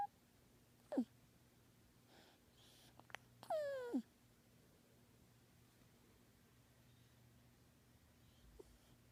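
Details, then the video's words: Sleeping kitten, male, giving a short falling squeak, then a half-second whining mew that slides downward, with a faint click and a tiny squeak later; otherwise near silence with a low hum. "Kitten makes noises in his sleep"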